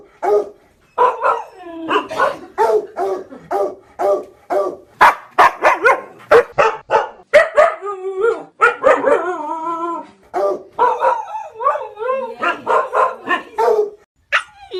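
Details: Dog from a set of ten barking breeds, giving a long series of rapid barks mixed with wavering, howling yelps that rise and fall in pitch, nearly continuous for about fifteen seconds with only short gaps.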